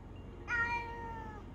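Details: Pet cat indoors during the covid-19 lockdown, one of two cats in the home, giving a single clear meow of about one second, bright harmonic tone sliding slightly downward; a person speaks to it just before and after.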